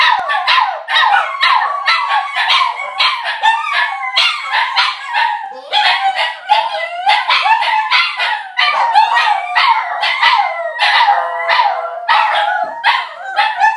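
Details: Two Border Terriers and a Jack Russell/Pug cross in a sustained howling chorus greeting their owners on arrival home, with many overlapping wavering howls, some sliding downward, broken by short yelps and barks.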